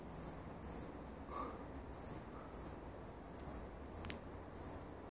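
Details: Katydid, Requena verticalis, calling: faint, very high-pitched short buzzy bursts repeated about twice a second in a steady rhythm, with low background rumble and a brief click.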